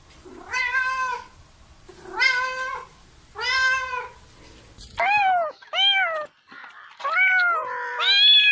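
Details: Cats meowing: three even, repeated meows about a second and a half apart, then a cluster of shorter, higher, rising and falling mews from a different-sounding cat.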